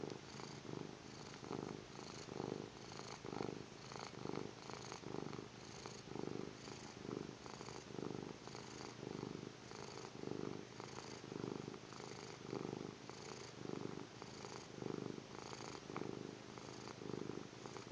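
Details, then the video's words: Long stretch of a sleeping kitten snoring, some seventeen slow rasping breaths in eighteen seconds, each a low fluttering rumble with breathy hiss, rhythm slightly uneven, no other sounds. "Cute kitty snoring"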